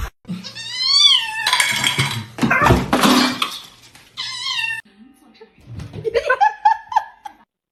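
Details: Domestic cat giving two clear, drawn-out meows that rise and then fall, separated by a burst of human laughter and talk. A softer run of short, higher chirping mews follows at the end.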